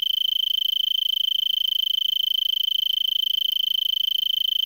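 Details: Arizona tree cricket in brittlebush, Vail, Arizona, around 5 PM on December 26, 2022, warm evening near 70 degrees F; rapid pulsed trill, about three pulses per second audible as a throbbing, on a single high steady pitch.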